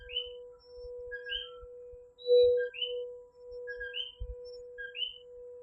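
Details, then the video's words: A Puerto Rico night chorus of coquí, the tiny native tree frog. Its short upswept notes are paired with lower clipped notes and repeat about once a second. A constant low droning tone and a few soft thumps run underneath. "Coquí Serenade | Authentic Puerto Rico Night Sounds"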